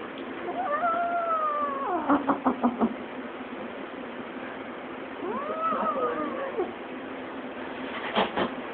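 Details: Cat yodeling indoors: two long wavering yowls, the first sliding downward and the second rising then arching down, each warbling in pitch, with a series of sharp tapping clicks between them and near the end.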